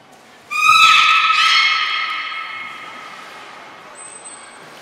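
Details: Captive belugas Gray, Nana and Mirai during a training session at Port of Nagoya Public Aquarium, 10 February 2024: a sudden steady tone with stacked harmonics, briefly renewed, then slowly fading over several seconds in a quiet room.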